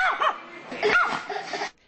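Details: A pair of Chihuahuas, a male and a female guarding a tire shop, give loud, sharp, high-pitched yapping barks in quick bursts at people entering as a voice talks over them.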